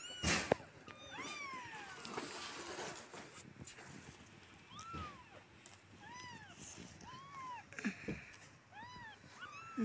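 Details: Rescued street kittens, one of four being cared for, meow over a noisy, rustling background, the cries turning clearer and evenly spaced toward the end, short arched calls about once a second.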